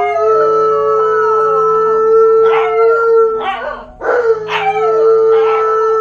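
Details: Malamute and husky howling while left home alone for the first time, recorded on a GoPro: a long, steady tonal howl, then bursts of short rising yelps and woo-woo calls before the howl resumes.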